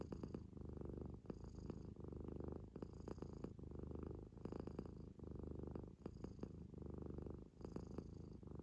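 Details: Sleeping Munchkin kitten snoring and snorting: a continuous low rumbling purr-like drone broken by short soft snorts roughly every second, with faint clicky breath noises between cycles in a quiet room.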